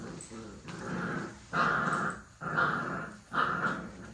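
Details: Puppies playing and play-fighting indoors: rough, throaty growls in three or four bursts of roughly a second each, with scuffling between them.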